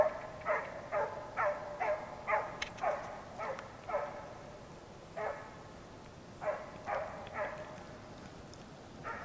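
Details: Petit Basset Griffon Vendéen Ares, a Norwegian champion hound, giving tongue while trailing fox and hare in warm weather: clear, ringing barks in quick bursts, roughly two per second, with short gaps and a quiet outdoor background.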